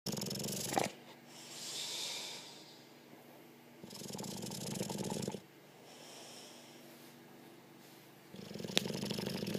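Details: A sleeping Olde English Bulldogge snoring: three rough, low breathy bursts roughly four seconds apart, separated by quieter stretches with a faint hiss.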